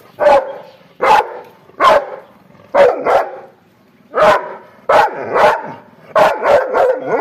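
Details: An angry dog gives loud, sharp single and paired barks, roughly one burst every second with a short pause midway, ending in a quick run of yaps.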